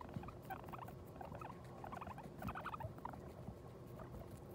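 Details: Guinea pig that has just given birth to New Year's babies, heard as bursts of soft, short chirping notes in two clusters, early and again near the middle, over steady rustling and patter from bedding.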